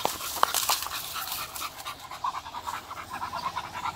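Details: Beagle on a morning walk outdoors, breathy rhythmic panting with rapid airy pulses, a few sharper clicks near the start, continuing steadily to the end.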